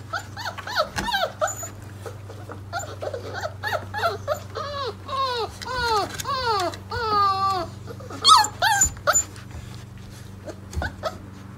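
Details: Four-week-old Mastiff puppies from a litter of eight, waking up indoors, give arching whines and yelps, some long and bending down, in repeated bursts with brief pauses, over a steady low hum.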